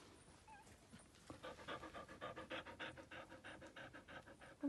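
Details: Belgian Shepherd Groenendael puppies, young males born 30 April 2020, at a breeding kennel in Verbano-Cusio-Ossola, Italy: after a quiet start, fast rhythmic breathy panting sets in, short huffs repeating about four times a second.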